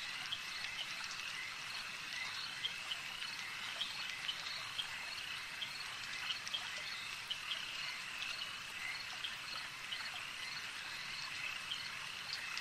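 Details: Lakeside frog chorus, many animals croaking at once in a thick, even wall of quick high-pitched clicks and trills, with occasional sharper individual calls standing out against faint ambient noise.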